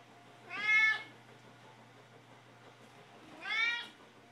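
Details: Hungry pet cats Mittens and Ginger asking for food: two loud, bright meows about three seconds apart, each rising then falling, with a low steady hum underneath.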